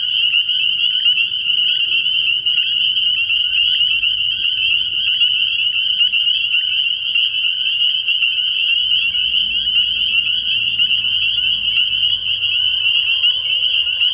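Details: Early-year night at a frog pond, spring peepers calling en masse: piercing high peeps blend into a constant shimmering tone throughout, steady and unchanging, with a soft low hum underneath.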